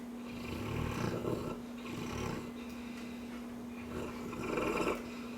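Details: Dreaming Cane Corso snoring indoors, rasping breath noises swelling and fading in three uneven bursts over a low constant hum.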